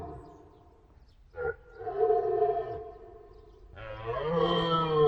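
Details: Roaring deer stag: a brief sharp grunt, then a long harmonic bellow. A louder, rougher roar builds at the end.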